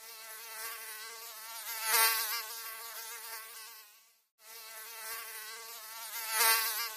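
A mosquito's thin, steady, high-pitched whine, swelling louder as it passes close.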